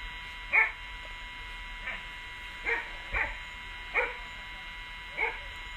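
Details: Rhodesian Ridgeback on a morning walk giving six short, sharp barks spaced irregularly over about six seconds, each with a bright ringing top, over a steady faint electrical tone.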